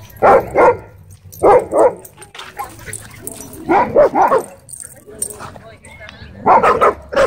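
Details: Wolfdog at a dog park threatening a man. Loud, harsh barks come in quick pairs and triples, each group a second or two apart, with quieter human voices in the gaps.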